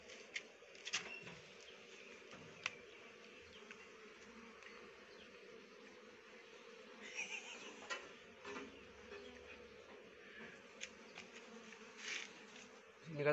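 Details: Honey bees gathering nectar from rhododendron flowers to make honey; a steady low droning hum runs throughout, broken by scattered sharp clicks and brief brighter bursts near the start and around the eighth second.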